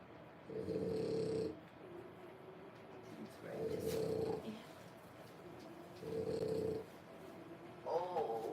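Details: French Bulldog puppies at three weeks old, born 1/10/25, in a whelping box: a steady run of throaty snoring breaths, one roughly every two and a half seconds, ending with a brief higher squeak.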